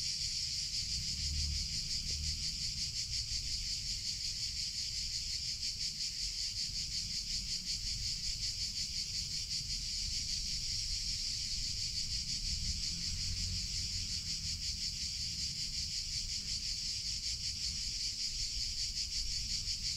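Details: Cicadas in summer keep up a sustained, piercing electric-sounding buzz, finely pulsed and even for twenty seconds, with faint low background rumble.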